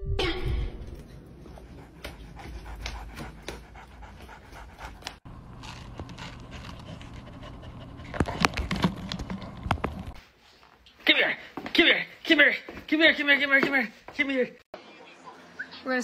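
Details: Pet dog panting at home during a cake-cutting reaction challenge, breathy rhythmic puffs through the first seconds, followed by a person talking and laughing over the dog's reaction to a realistic dog cake being cut.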